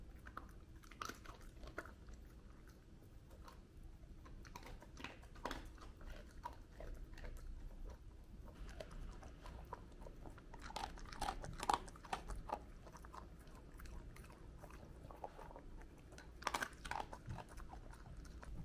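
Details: Cardigan Welsh corgi named Totle eating dog food stuffed inside a rubber kong chew toy indoors; irregular crunchy chewing and biting clicks, sharp taps of the toy against the floor, quiet small-room background.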